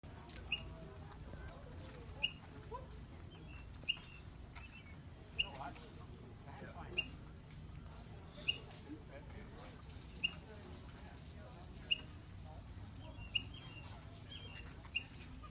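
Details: Squirrel in Yosemite Park hiccuping: sharp, brief clicking hiccups repeated steadily about every one and a half seconds, ten in all, over a soft low background rumble.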